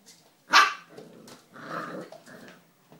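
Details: A three-month-old poodle puppy gives one sharp, high bark, then low grumbling growls in two short bursts, in an otherwise quiet room.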